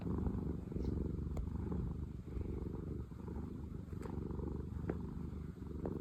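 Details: Steady low purring from one of two content former rescue cat sisters, a dense rapid rumble kept up throughout with a few faint clicks on top and no other sounds.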